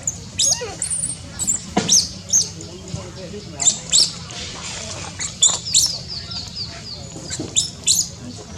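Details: Newborn baby monkey in Cambodia, among tall trees, giving thin, very high squeaks and chirps in short bursts, roughly one or two each second, some sliding downward, over a steady low hum.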